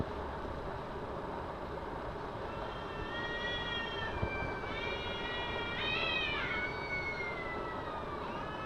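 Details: Two cats squaring off in a carpark, building from a rising, warbling moan to loud, overlapping screaming yowls that swoop upward and then tumble down, with a constant low hum of vehicles behind.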